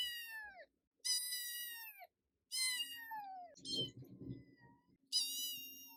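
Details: Young female red tabby Scottish Fold kitten, prick-eared, meowing repeatedly indoors: four clear, high, harmonic meows, each sliding downward, with a burst of rustling handling noise between the third and fourth.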